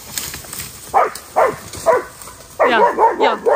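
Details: Tabby-striped farm dog outdoors in the countryside, called fearless, not even afraid of pigs, gives three spaced barks and then a quick run of four sharper barks, with a man talking and laughing nearby.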